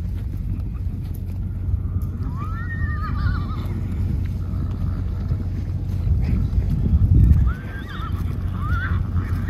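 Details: Wild horses at a permanently protected wildlife preserve, herd thundering past: a few short, wavering whinnies rise and fall over a steady low rumble of pounding hooves, with a louder surge of hoofbeats midway.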